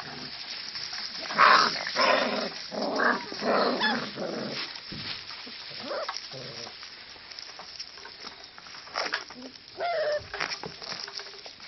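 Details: Kelpie pups, five weeks old, at play: a loud run of scrappy growling and yelping in the first four seconds, then quieter scattered whimpers and yips, with soft speech now and then.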